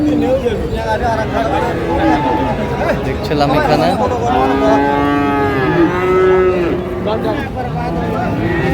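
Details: Friesian and crossbred bull calves being bought and sold at Raniganj market in Dinajpur, Bangladesh: several overlapping moos, some long and wavering, others short and falling, over steady crowd talk.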